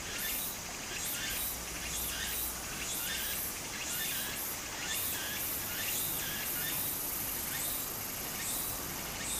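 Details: Cicada singing in summer beside a stream in Japan, a loud pulsing buzz spanning high pitches, bursts repeating roughly once a second over the continuous rushing murmur of running water.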